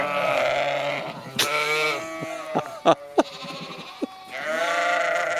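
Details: Sheep in Skåne, Sweden: a bright, strained bleat opens and another closes the recording, with sharp clicks and knocks in the quieter middle.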